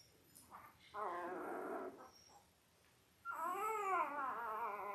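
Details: Five-day-old Labrador Retriever puppies from Belle's litter of eight, born October 15, 2023, on a puppy cam: a short harmonic whine, a pause, then a louder rising-and-falling squealing cry with bright stacked overtones.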